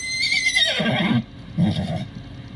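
A miniature horse whinnies, a high shrill cry that slides down into a low, rumbling nicker.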